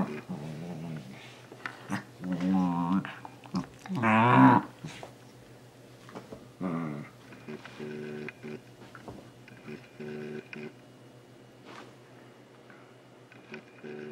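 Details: Almost two-year-old male Shiba Inu indoors trying to catch socks and vocalizing about it: wavering whiny yodel-like howls and grumbles early, then short low grumbling bursts and scattered clicks.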